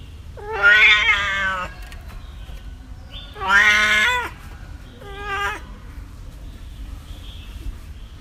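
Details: Kittens and cats meowing, three calls in eight seconds: a long bright meow about a second, another drawn-out one with a falling end, then a shorter softer meow, over faint background hiss.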